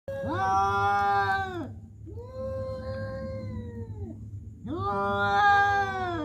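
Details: Domestic cats calling in a human-like voice: three long, drawn-out harmonic yowls of about one and a half seconds each, the middle one quieter, over a steady low hum.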